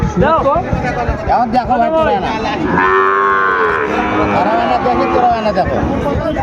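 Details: Sahiwal bull calves for sale at the opening of Ambari cattle market, Dinajpur, Bangladesh, on 23 February; a long, steady, droning moo rises midway, surrounded by men bargaining loudly over prices.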